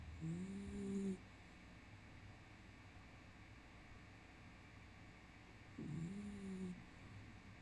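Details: Black dog asleep, snoring softly indoors: two faint whistling, nasal snores about five seconds apart, each lasting roughly a second, with steady low background hum between them.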